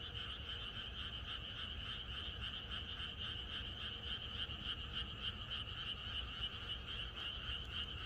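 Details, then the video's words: Night-time chorus of frogs in the countryside ahead of rain, a constant throbbing of quick croaks, around three to four per second, shrill upper tones over a duller lower band, unbroken for the whole stretch. "비가 오려나?이것이 자연의 소리 ~개구리들의 합창"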